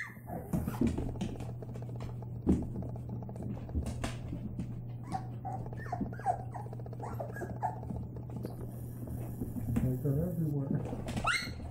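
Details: White Labrador Retriever puppies playing: bursts of small whimpers and yips scattered through the recording, with rustling, knocks and a steady low hum beneath, ending in a rising whine.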